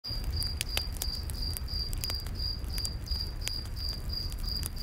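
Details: Cricket chirping in a night forest beside a campfire: steady pulsed chirps repeated about three times a second, with sharp crackles and pops from the fire and a low rumbling hiss underneath.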